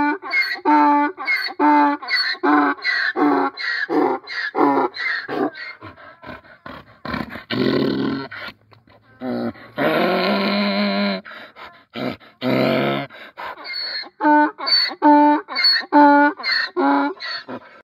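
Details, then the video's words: Domestic donkey in the Brazilian sertão giving a long bray: rhythmic alternating wheezy in-breaths and loud harsh honks, a rough grinding middle stretch, then renewed pulsing honks to the end. "SOM DO JEGUE RELINCHANDO NO SERTÃO"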